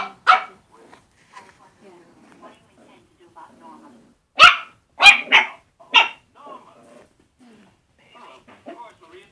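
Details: Puppies at play with a balloon and a squeak toy, giving sharp high barks in a quick cluster of three near the middle, with softer yips and whines scattered before and after.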